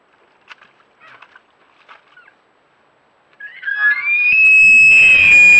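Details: Big Oregon bull elk coming to a wallow, caught on a trail camera, lets out a bugle: faint rustling and footfalls, then a high whistled tone rising and holding steady, growing loud and harsh toward the end.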